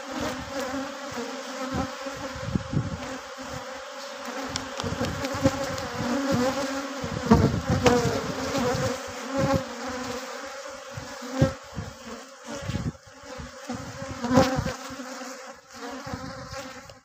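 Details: Honey bees kept on a Pakistani bee farm produce a continuous low droning buzz, with scattered clicks, knocks and handling noises over it.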